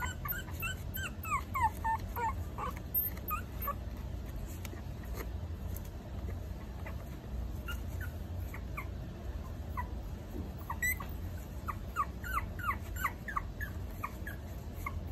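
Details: Whining from a litter of Maltese puppies aged four weeks: bursts of quick, falling yelps at the start and again near the end, with quieter, sparse squeaks between over low background hum.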